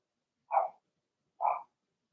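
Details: Blenheim Cavalier King Charles Spaniel puppies in an indoor puppy pen, from a litter of six; two short, bright, high yaps about a second apart, otherwise quiet.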